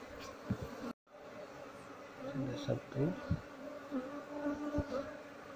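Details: Apis cerana colony, lodged in a speaker box, buzzing while being harvested for honey and relocated. A dense, wavering hum with short swelling surges, a brief dropout near one second, and thumps from the comb being worked.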